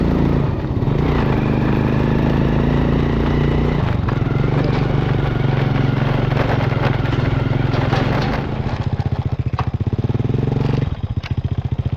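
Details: Loud motorcycle engine revving and idling, with rattling and clatter throughout.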